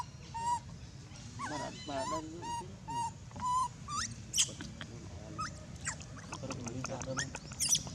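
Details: Loud crying from an abandoned monkey: a rapid run of short, piercing, whistled whimpers, some sliding upward. Sharp high clicks and chirps follow later, over a droning low background noise.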